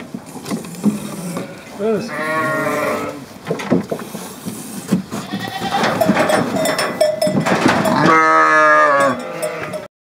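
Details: Assaf sheep kept at a wooden trap bleat in strong, quavering bursts near two and eight seconds, with shorter bleats between. A person speaks briefly, and metallic clanks and shuffling are heard.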